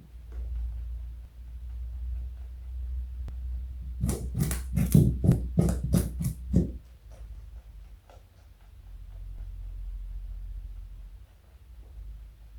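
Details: Joey the pet rabbit eats carrot indoors, giving a rapid, steady series of about eight crisp crunching bites in a few seconds, bracketed by quieter stretches of low room hum.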